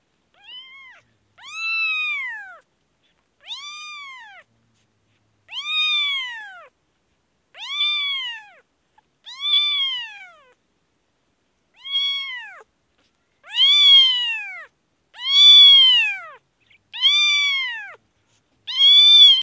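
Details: Kitten with an infection in Kashmir, meowing repeatedly: about eleven loud arched harmonic meows, each rising then falling, spaced roughly every one to two seconds, with silence between and no other sounds.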